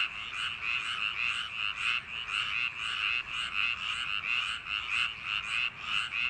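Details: A summer-night chorus of frogs in rice paddies, with bright, throaty croaks pulsing in rapid succession, roughly a hundred per minute, layered from many callers.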